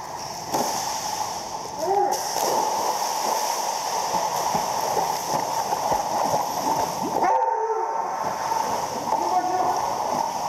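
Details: An Alaskan Malamute gives short, wavering 'woo-woo' talking sounds to a Weimaraner jumping into a swimming pool for a dog toy, over steady splashing water.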